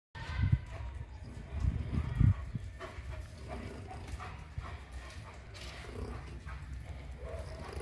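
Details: German Shepherd; bark; defending territory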